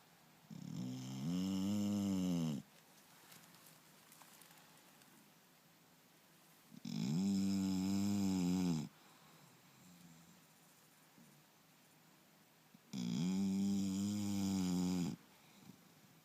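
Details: English Bulldog named Turbo asleep indoors, snoring loudly in three long rasping breaths about every six seconds, each roughly two seconds of deep harmonic rattle with quiet pauses between.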